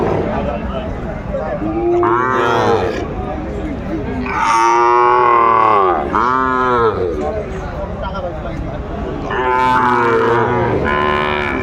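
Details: At a Kurigram, Bangladesh cattle market on 14 December 2024, where a Sahiwal bull calf is for sale, cattle give repeated loud bawling moos with arching pitch, in bursts every few seconds, amid a background of crowd noise.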